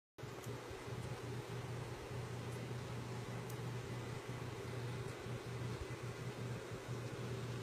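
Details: Steady machine hum like a fan or air conditioner, a constant low drone with faint ticks, and no animal sound.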